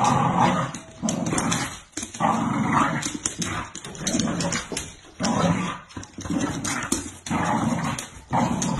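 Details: A Bull Terrier growls in low, rumbling bursts broken by short pauses while pulling a toy across the floor.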